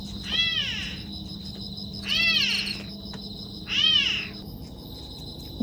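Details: Kitten abandoned without its mother near a sewer, heard crying at night: three clear, high, arching meows, each rising then falling, spaced about every two seconds against a quiet background hum.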